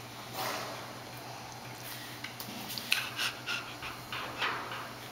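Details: Jody and Foxie, two rescued chimpanzees at Chimpanzee Sanctuary Northwest in Cle Elum, Washington, play wrestle with trolls and a blanket; breathy, irregular panting bursts come quickly over a steady low hum and rustling.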